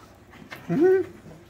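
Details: A French Bulldog, playing a nightly chase with its sibling before bedtime to burn off zoomies, gives a single brief, tonal whine that rises and then falls away.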